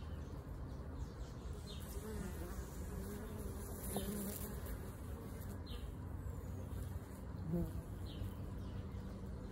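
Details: Bees at a bee sanctuary devoted to moving and rehoming colonies; a low, steady droning hum with a faint tone that rises and fades, while small bird chirps sound high above through the background.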